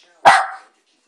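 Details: Single sharp bark from a one-year-old Jack Russell Terrier directed at monkeys, abrupt onset with a brief tapering tail, otherwise quiet.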